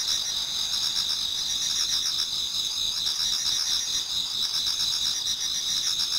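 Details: Many autumn insects singing in a Japanese garden towards dawn: a dense, unbroken high shimmering chorus in two bright bands, overlaid with fast ticking pulses, about four per second.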